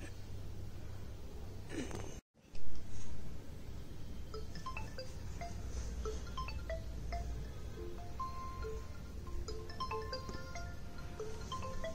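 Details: Scattered chime-like tinkling tones ring over a steady low hum, broken by a short silence and a brief loud burst early on.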